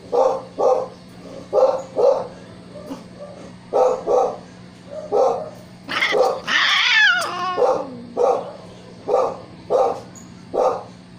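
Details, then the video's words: Siamese cats meowing and yelling: short, loud, clipped meows repeated roughly twice a second, broken midway by a longer high wavering wail that bends up and down before the steady meows resume. "Siamese Cats meowing and yelling"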